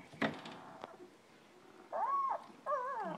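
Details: German Shepherd pups almost two weeks old settling down for the night: after a few knocks and thumps, two long, clear arched whines, the second wavering, in a quiet room.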